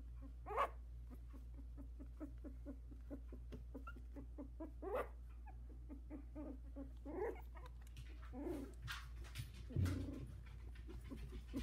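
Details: A 16-day-old Havanese litter of four, one trying to climb out of the whelping box; intermittent thin whines rising and falling among rustles and taps, a few stronger cries spaced several seconds apart, constant low electrical hum.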